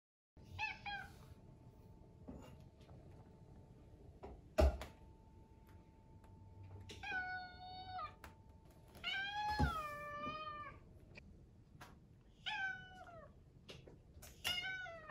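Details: Rescued, adopted British Shorthair cat meowing for breakfast indoors: about five drawn-out harmonic meows, some falling at the end, spaced a few seconds apart, with a sharp thump near the middle and a steady low hum.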